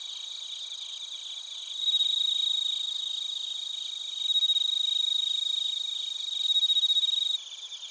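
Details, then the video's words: Chorus of bell crickets and other crickets in Narita, Chiba Prefecture, Japan, recorded with a TASCAM Portacapture X8: a bright ringing tone over rapid pulsed chirps, swelling louder in three surges before dropping off near the end. "スズムシとコオロギの鳴き声 - Chirping of crickets"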